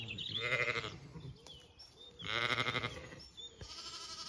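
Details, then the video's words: Zwartbles lambs exploring near their mothers at breakfast on a regenerative farm in County Kilkenny, Ireland. Two distant, trembling bleats about two seconds apart, with a fainter third call and soft background noise. "Lambs romp and explore as their maaaa have breakfast"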